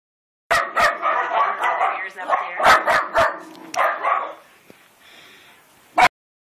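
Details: Female Norwegian Elkhound puppy, born January 20th, 2013, barking at a horse in its stall: a rapid series of harsh, ringing barks for about four seconds, fading out, then one sharp final bark.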